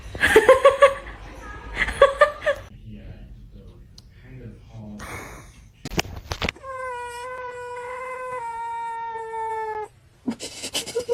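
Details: House cat meowing indoors: two short, bright meows close together, then thumps and clatter, followed by a long, steady, tonal cry held for about three seconds before more knocking noises.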